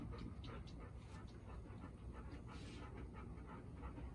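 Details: At home with Golden Retrievers, including nervous newcomer Bis, age four, the day after meeting Ibuki and Kohaku; short burst of quick breathy panting over a rumbling low background, with faint murmurs.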